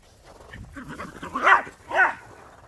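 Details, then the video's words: Border Collie and Jack Russell Terrier chasing each other in the snow, one giving two loud, quick barks half a second apart after a soft low grumble, little else audible. "Border Collie and Jack Russell Terrier playing chase"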